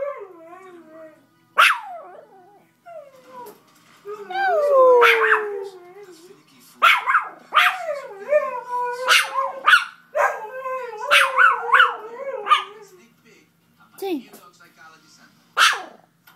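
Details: Chihuahua howling as if trying to be a Samoyed, prompted by a dog programme: wavering, bending howls with stacked harmonics mixed with abrupt yelps and barks, in short bursts separated by brief pauses.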